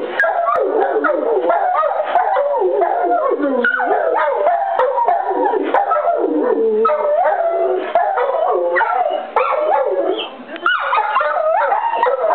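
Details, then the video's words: Two pet dogs, Copper the golden retriever and Zeus the Rottweiler, howl at the noon whistle: long overlapping wavering howls sliding up and down, sustained throughout with brief dips. "Copper and Zeus Howling"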